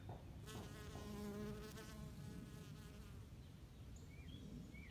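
A bee's low, steady buzz drones past, swelling and fading as it flies around.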